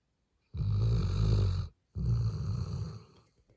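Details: Black male Labrador Retriever puppy, eight months old, snoring loudly while asleep indoors: two long, deep rasping snores, each about a second long, separated by a short pause.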